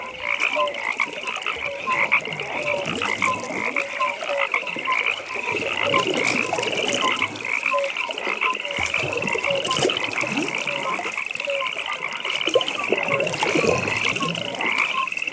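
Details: Many frogs in a nighttime pond chorus, an unbroken high buzzing trill dominating, scattered short low croaks beneath, plus steady crackling background ambience.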